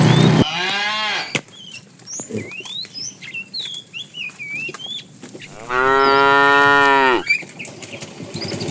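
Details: Tame cows in a herd setting off on a long journey to fresh pasture give two loud, rich moos, a short one at the start and a longer, level bellow later, with bird chirps in between.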